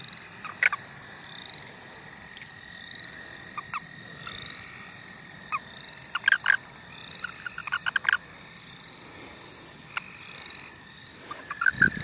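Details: Frogs calling in the St. Olaf College Natural Lands during frog catching: a faint steady trill with short rising notes above it, broken by sharp clicks and knocks.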